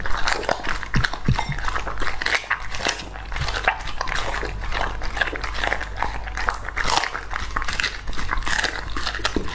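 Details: English Labrador Retriever, two and a half years old, eating raw meat indoors: wet chewing, biting and crunching in quick irregular bursts, with louder crunches through the middle and end.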